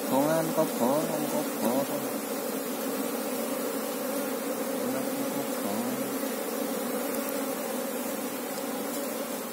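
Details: Apis cerana honey bees buzzing in a dense, even hum while people look for the colony's queen; men talk in Javanese over the drone at the start and again briefly later.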